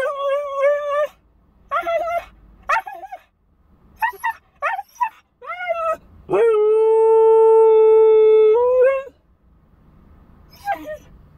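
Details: Left alone in a car while its owner visits the bank, the Siberian Husky puppy Bandit whines in short broken bursts, then holds one long steady howl for about three seconds before trailing off into quiet.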